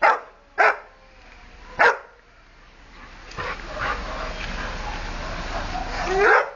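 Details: Excited by a passing dog, Wilbur lets out three sharp barks in the first two seconds. A stretch of hissy background noise follows, ending in a louder bark-like burst; recorded 30 Oct 2008.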